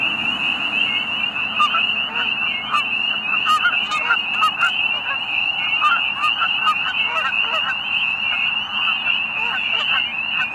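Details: Spring peepers giving mating calls near a pond at Middle Creek Wildlife Management Area, Pennsylvania, at sunset in early spring. A constant chorus of high rising peeps runs beneath frequent honking from geese on the pond.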